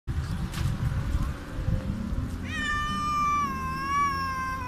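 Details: A hungry street cat meows very loudly. After a rumbling, noisy start, one long, drawn-out, strongly harmonic meow begins midway and holds steady, dipping slightly and then lifting before it ends.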